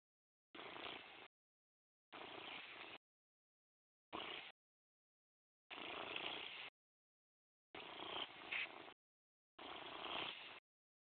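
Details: Morris, a pet cat, purring: rough, hissy purr bursts about a second long, six in a row, each separated by a silent gap.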